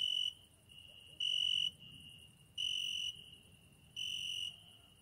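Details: Night song of a cricket heard at a window. There are four piercing, high-pitched trilled bursts, each lasting about half a second, with a fainter continuous trill running between the louder phrases.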